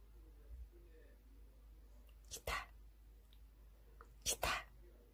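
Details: A Maltese dog sneezing indoors, two short sharp bursts around the middle and again near the end, each a quick double snort, with soft laughter and quiet room sounds.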